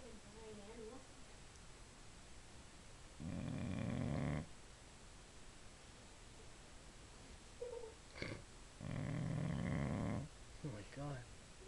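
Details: A pet Boxer bitch sleeping and snoring: two long, coarse, low snores roughly five seconds apart, with faint human voices and a few small sounds between them.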